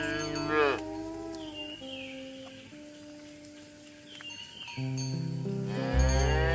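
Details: Cows being herded in the morning along a village road toward the pen: a short moo at the start and another at the end, with steady tonal hums and faint distant lowing between.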